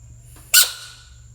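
A bullfrog lets out a single sudden, harsh scream that cuts off quickly, with faint hum behind it.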